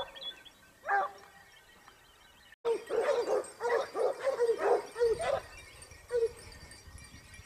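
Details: Topsfield Lebrera Basset Hound pack on a hunt in Spain, second season 2015-16: a lone bay, a pause, then a burst of quick overlapping yelping bays from several hounds fading to a single call.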